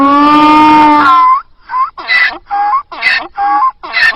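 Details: Donkey (Equus asinus), bray.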